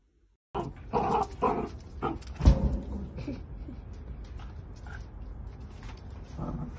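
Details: Playful miniature dachshund giving a burst of rough, noisy growls and grunts over the first three seconds, then softer low rumbling and snuffling, with a room-like background.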